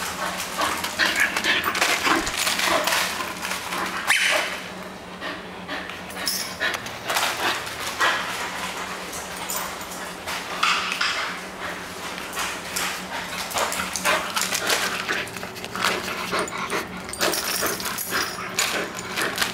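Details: At home, an energetic Bull Terrier at play gives dense, irregular bursts of huffing, snorting and brief whines, occasional sharp barks mixed in, some faint human voice and a constant low indoor hum beneath.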